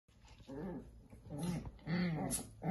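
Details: In Pančevo, a Shiba Inu gives low, rumbling growls with a wavering, voice-like pitch in three short bursts.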